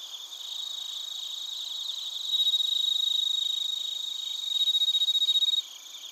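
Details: Bell crickets and other crickets chirping in Narita, Chiba Prefecture, Japan: dense high pulsed trills overlap with steady ringing tones, the chorus swelling louder twice before dropping away near the end.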